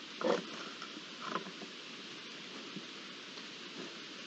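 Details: A returning wild boar family recorded on 19 February 2022: two short, rough grunts over a steady hiss of rain-like ambient noise.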